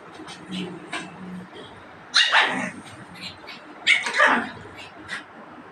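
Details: Pugs fighting indoors: two sharp, harsh bark-growl bursts about two seconds apart, each sliding downward, with softer snuffling, clicks and low grumbling between them.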